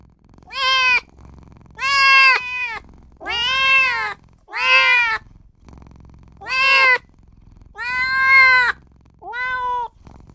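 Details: Newborn kitten crying for its mother and owner: seven loud, drawn-out meows in ten seconds, each rising then falling, some with a slight waver, separated by brief quiet gaps.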